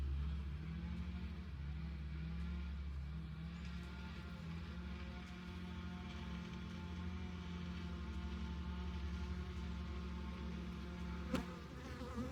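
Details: Honey bees, Apis mellifera, at the insulated entrance of a long Langstroth hive in South East Texas. A steady, low droning hum with a gently wavering pitch runs throughout, with a single sharp click near eleven seconds.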